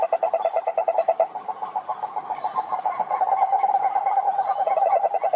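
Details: Wild frogs in a pond chorusing during mating season; distinct rhythmic croaks at the start blend into a thick, uneven wall of overlapping pulsed calls.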